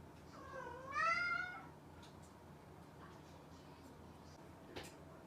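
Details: A single loud, rising-then-falling meow from a cat, clear and harmonic, followed by quiet with a few faint clicks and taps.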